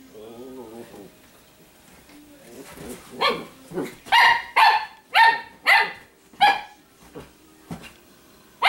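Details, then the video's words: Italian Greyhound female, irritated while dressed in doggie apparel, telling another dog to leave her alone; a wavering growl opens, then a rapid series of about eight high sharp barks, with a person speaking softly indoors. "Scariest Italian Greyhound!! Part snake or something..."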